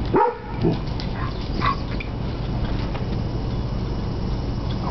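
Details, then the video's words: Playing Basset Hound pup romping with an older Beagle/Basset Hound cross gives two quick, gruff barks in rapid succession at the start, followed by a continuous low background rumble. "Basset Hound pup and Beagle/Basset Hound playing."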